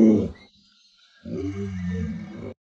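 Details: Lolo, a pet Alaskan Malamute who knows 36 tricks and playfully pulled a stool away so its owner fell, gives a low throaty rumbling growl: a short burst, a pause of under a second, then a longer sustained growl lasting over a second.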